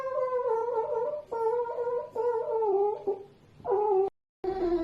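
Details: A pet red fox gives long, wavering, cat-like wails one after another, screaming while it sleeps.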